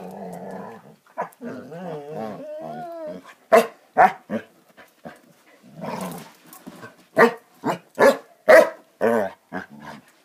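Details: Basset Hounds playing together: a run of rolling growls and wavering whine-like grumbles, then a burst of sharp, closely spaced barks in quick irregular succession.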